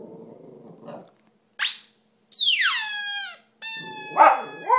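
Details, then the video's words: Dog howling indoors: a brief low murmur, then a high rising yelp, a long clear howl sliding steadily downward, and a sustained high tone ending in rougher whimpering notes. "How to make a dog howl"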